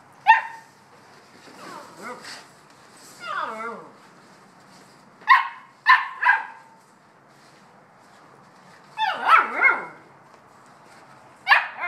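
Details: Bouvier des Flandres puppies, 7.5 weeks old, playing and complaining they have not had breakfast: short high yelping barks and whiny wavering whimpers in scattered bursts, with pauses between and faint background murmur.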